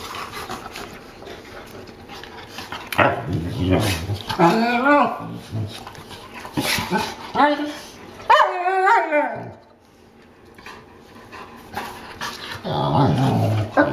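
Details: Newfoundland dogs at play, uttering drawn-out, groaning, wavering howl-barks in bursts of one to two seconds, separated by quieter spells, with a man's voice and rustling in between.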